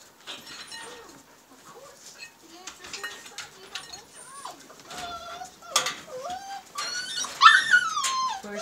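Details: Siberian husky puppies, a newborn litter born March 25, 2017 to the dam Liv, whining in rapid overlapping bursts, the squeals climbing and bending in pitch and growing louder toward the end.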